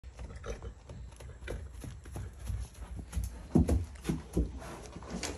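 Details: Morgan horse, a mare, snorting excitedly at feeding time: a run of short, low, breathy puffs and snorts, with louder bursts near the middle, plus soft thumps and stable noises.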